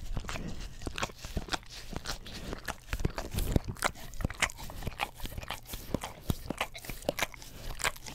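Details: English Cream Golden Retriever licking an Orapup tongue cleaning brush beside a Blue Yeti stereo microphone indoors; dense wet clicks and smacks come in quick irregular bursts, with soft low thuds underneath and no other voices.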